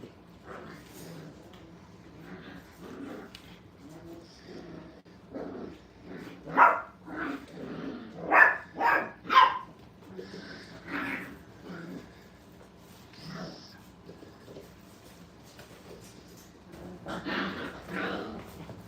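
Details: Five-week-old puppies having fun at a training kennel: scattered small yips and short barks with low growling, irregular and bunched around the middle, with quieter yaps later and faint background voices.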